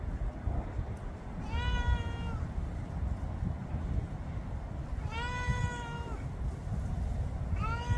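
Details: Meows from a domestic cat of about 11 years in Florida: two long, level-then-falling cries several seconds apart, with a third starting at the end, against a constant low-pitched background rumble.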